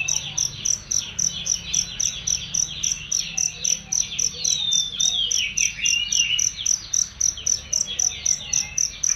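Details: Masteran recording of a cricket for songbirds: sharp, ringing chirps repeated almost four times a second, mixed with fast chattering twitters and a few descending whistled notes.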